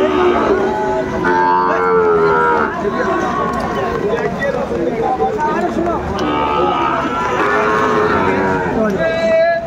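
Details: Cattle lowing at a rain-soaked livestock market in Madaripur, Bangladesh, on 3 September 2024, where a farmer buys a Sahiwal bull. Drawn-out, tonal moos rise and fall over about a second each, with men bargaining loudly over prices.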